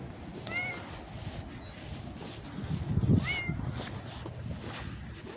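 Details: Domestic cat on a walk outdoors with its owner, giving two short, high rising meows about three seconds apart over steady low rumbling background noise and footsteps.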